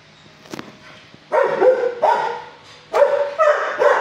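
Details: Six-year-old shelter dog in a kennel barking at a person, behaviour later calmed by seeing a quiet neighbouring dog fed; clip holds a faint click, then two harmonic barks near 1.3 and 2 seconds and a double bark near 3 seconds.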